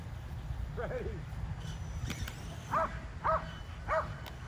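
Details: Five Kerry Blue Terriers at home exercising with an E Revo remote-control car; soft, faint yips at first, then three strong barks roughly half a second apart over a low rumble.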